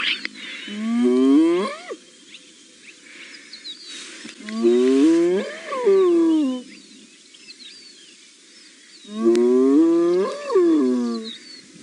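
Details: In the Masai Mara on a June morning, a spotted hyena gives deep, rising-and-falling whooping contact calls, answering another hyena whooping far away towards the mountain; Spotted hyena.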